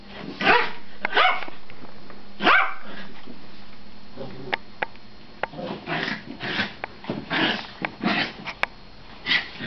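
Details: Pet dogs play fighting indoors, with short barks and rough growls in bursts, broken by quieter stretches of sniffing and scuffling.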